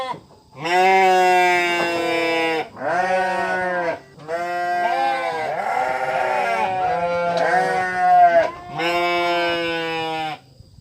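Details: Sheep giving five drawn-out, quavering bleats, each lasting about one to two seconds, separated by brief gaps, with the middle calls blending together.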